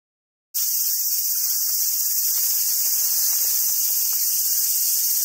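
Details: Cicadas in summer at a monkey park on Awaji Island, Sumoto, Hyogo, Japan: after half a second of silence, a loud, steady, hissing drone starts and holds at an even level to the end.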